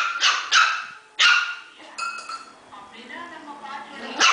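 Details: Puppies fighting and barking; three sharp high yelping barks in the first second and a half, followed by quieter overlapping whines and yips, with another bark at the end.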